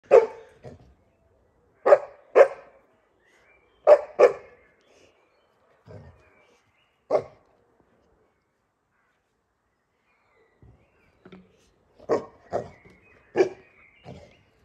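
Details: Boerboel puppy playing outside with a water bottle, giving short, sharp barks in pairs and clusters, several seconds apart, with quieter pauses and faint rustling between them.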